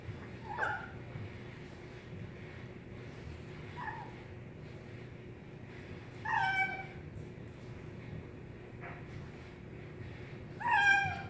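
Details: Eating kitten producing nom noises: four short, bright mewing bursts of uneven loudness, the third and fourth strongest and richly harmonic, separated by quiet gaps of a few seconds with faint room hum.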